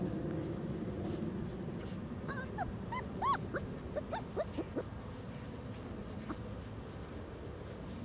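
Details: Four-week-old German Shorthaired Pointer puppies, a litter outdoors for the first time on December 1, 2009, give thin high whines and squeaky rising-falling whimpers in scattered bursts, over steady outdoor rumble and noise.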